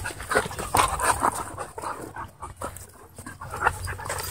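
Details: Brief high whimpering yelps over quick panting as dogs tussle in wild play at a dog park, the noisy bursts thinning in the middle before returning.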